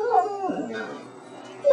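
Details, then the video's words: Howl-like vocalization from a 12-year-old female dog trained to say "I love you": a wavering tone that sags and fades, then a sudden loud, bright falling note at the end. Quiet indoor background. "Talking Dog Roxanne says I Love You"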